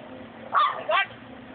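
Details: A Chihuahua barking at a black cat gives two quick, shrill, yappy barks about half a second apart, each with a slight rise and fall, over a faint steady hum.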